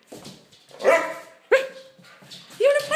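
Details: During play between two dogs, Sasha and her best friend Topaz, three separate bark-like yelps rise sharply, one trailing into a steady whine, with quiet human voices between them.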